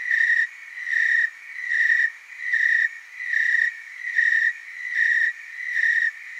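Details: Tree crickets in chorus, recorded in the Willamette Valley, Oregon: a steady high trill with rhythmic louder pulses about every 0.8 seconds, overlapping callers forming a continuous pulsing drone with faint higher overtones.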